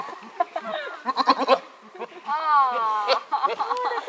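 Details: Goat billed as a talking goat gives a long, wavering, quavering bleat lasting under a second mid-clip, with human speech and short voiced sounds before and after it.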